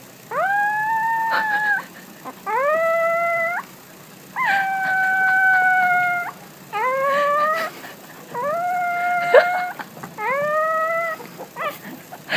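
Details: Puppy howling in six short wails, each rising sharply then holding level, spaced about two seconds apart over a steady faint hiss.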